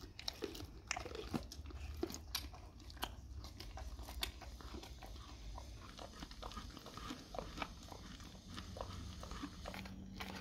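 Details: Domestic dog chewing raw cow tongue in a small room: sharp crunches and bites repeating steadily through the whole stretch, with a low hum underneath.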